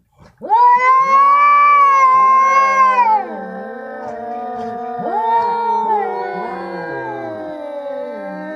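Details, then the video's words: Two tomcats fighting in India. They give loud drawn-out yowls with overlapping voices. The first wail holds steady for about three seconds, then drops into lower, wavering moans that slide and bend against each other. "Fight between two badge दो बिल्ला के बीच लड़ाई"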